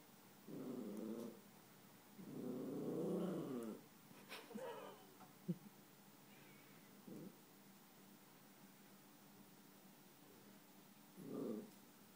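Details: Yorkshire Terrier Chewy, eleven months old, growling at his mirror image indoors: repeated low rumbling bursts, one long two-second growl, then scattered shorter grumbles among soft clicks and movement noise.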